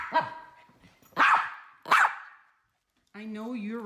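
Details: Miniature poodle Teddy, resisting being put into a harness seatbelt, lets out two loud, clipped barks about a second apart. A person's coaxing voice is heard before them and again at the end.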